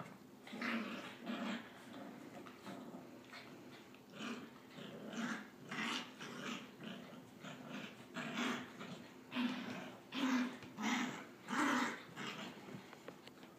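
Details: Pet dog indoors, trying to learn to go down the stairs, makes a run of short, rhythmic whining and grumbling cries about once a second, building toward the end.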